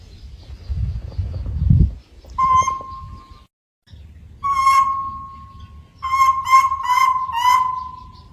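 A monkey calls in clear, level tones, first a single note, then a longer drawn-out cry, then a run of pulsed, wavering notes. Low rumbling noise fills the opening moments before the calls begin.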